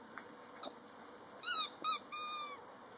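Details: One of a litter of eight puppies, out in the garden for the second time to play and explore, gives three high, squeaky whines: two quick and wavering, then a longer, steady note.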